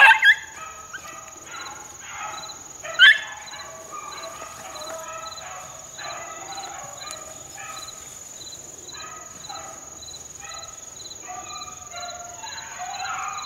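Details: Four-month-old Beagle pups on a rabbit in the wild, 2013, giving a run of short harmonic bays repeated in irregular bursts, a few louder yelps near the start, constant high insect drone behind.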